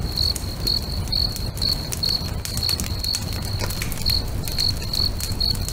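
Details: Lakeside crickets at sunset chirp in short, shrill bursts about twice a second, with a few brief gaps, accompanied by the crackle and pop of a nearby bonfire and a deep, constant rumble.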